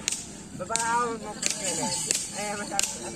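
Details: Sharp whip cracks repeat between shouted human voices; no animal sound.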